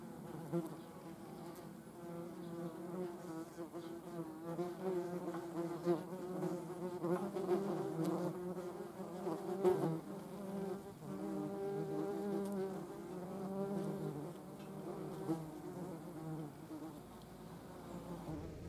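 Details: Yellowjackets collecting protein to feed their larvae: a steady, droning wing buzz with a low fundamental and stacked harmonics, wavering in pitch as the insects move about, loudest around the middle.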